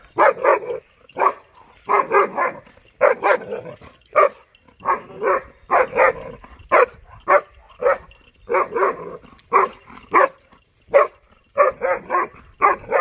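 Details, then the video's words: Powerful barking from Dollar, a German Shepherd puppy aged 6.5 months, aimed at buffaloes he does not like. The deep, loud barks are rapid and frequent, roughly twenty in thirteen seconds, in clusters separated by brief gaps. "Powerful German shepherd puppy barking on buffaloes"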